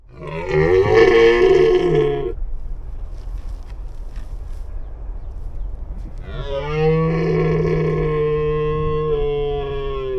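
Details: Wild red deer stag roaring in the breeding season: two long, deep, harmonic-rich bellows, the first about two seconds, the second swelling from six seconds to the end, separated by a quiet gap of low rumble.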